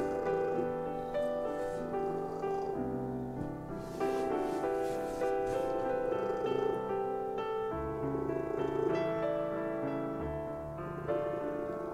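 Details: Soft piano music plays steadily throughout, with no clear animal sound rising above it.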